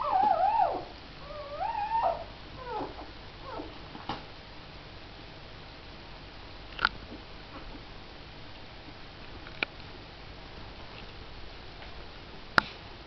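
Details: Puppies of Missy, four in the litter with their mother, open with a burst of quick, quavering whimpers that wobble rapidly, then fall away to near silence broken only by scattered taps and clicks.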